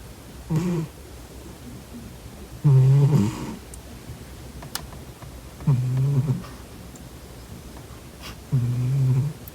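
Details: Snoring house cat in deep sleep: four low, raspy, harmonic snores at irregular intervals of two to three seconds, the second loudest and longest, with faint ticks in a small room.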